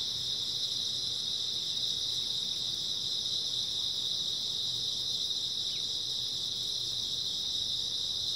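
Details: Grass insects calling through an early autumn night, a constant high-pitched buzzing trill from many insects blending into one steady wall of sound, faint low hum beneath.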